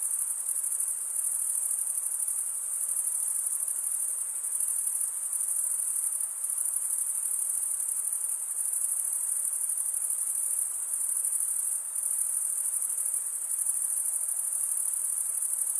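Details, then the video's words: Crickets keep up a long, even, high-frequency trill of stridulation with small dips and swells in loudness. No other sounds are present. "Most relaxing cricket sound"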